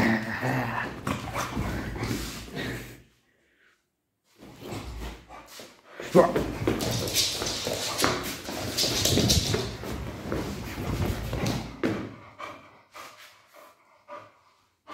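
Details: Beagle named Tubby arguing with his owner for a calcium bone: uneven bursts of whining and short vocal outbursts, with pauses between them, while people talk over much of the exchange.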